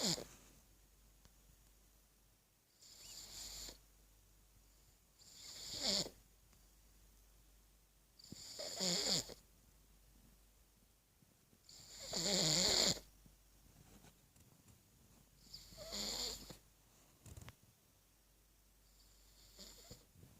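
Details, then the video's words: Steady snoring from Gorda, a three-year-old pug asleep with her tongue out: six wheezy, hissing breaths about every three seconds, some louder and rougher, with faint rumbling beneath and quiet gaps in a small room. ""Gorda", Durmiendo y Roncando Lengua Fuera xD / CARLINO / PUG"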